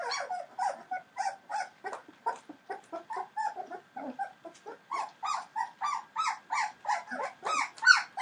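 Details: Young Entlebucher Mountain Dog puppies, 21 days old, making rapid soft whimpers and squeaks, about three a second in an uneven chorus, growing a little louder toward the end.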